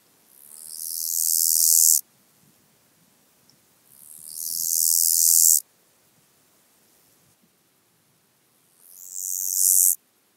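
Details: Male-style crescendo song of the black-spotted toothed grasshopper, Kyffhäuser, Germany, July 2018: three longer hissing phrases of about one and a half seconds each, swelling steadily before ending abruptly, separated by quiet pauses.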